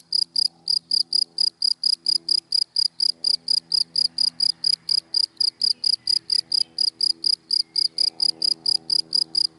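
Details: Cricket in dry grass in daylight, sending a steady series of sharp, high chirps at a regular quick pace, with a low background hum beneath.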